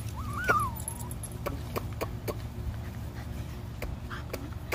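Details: Purebred Cocker Spaniel from a litter of five pups, one thin whimper that rises and wavers for under a second, then scattered clicks and rustles over a constant low hum; the name Winnie is spoken.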